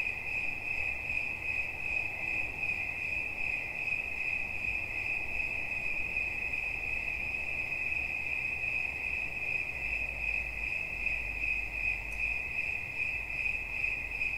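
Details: Cricket calling as a relaxation sound: a steady, high, ringing trill that pulses rapidly and never stops, with a faint buzzy overtone above and a low soft rumble underneath.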